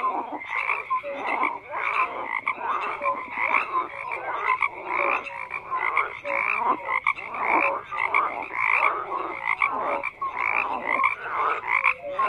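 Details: An unbroken frog chorus of rasping, pulsed croaks from numerous individuals, with occasional higher whistled notes and swelling bursts roughly every second, densely overlapping for twelve seconds.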